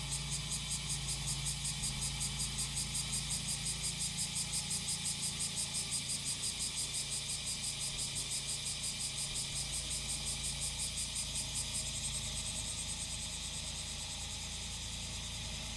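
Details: Cicadas singing alongside engine noise, likely a grass-cutting machine: a steady high buzzy drone pulsing about three times a second, fading slightly near the end, over a continuous low engine hum.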